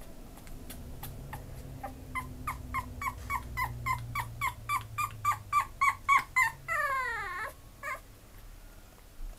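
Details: Pomeranian dog yipping in a fast, regular series of short, bright, wavering notes that grow louder and quicker, then breaking into a drawn-out whine that slides downward, followed by a few softer yips against low room hum.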